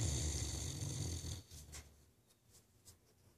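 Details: Deep, gravelly snore from Ace the Great Dane, a single rumbling breath lasting over a second before trailing off into quiet, soft breathing.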